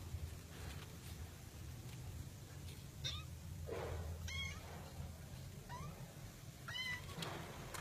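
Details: Cat in a box meowing: a faint, brief mew, then four clear, short, rising-and-falling meows spaced about a second apart over a steady low indoor hum.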